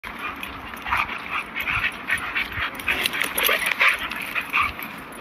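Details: A German Shepherd and a Rottweiler facing each other, with harsh, noisy barks and yelps coming in quick, irregular bursts throughout, several overlapping, over a steady background hiss.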